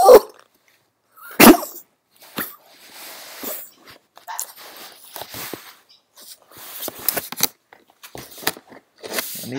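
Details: Playful pet dog letting out a couple of loud, sharp barks near the start, followed by softer snorts and rustling bursts, with faint human speech.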